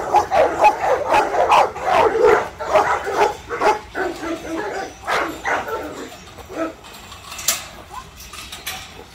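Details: Young Rottweilers, 7-month-old puppies being let out, bark and yip in quick, uneven, excited bursts in anticipation of playing with a ball.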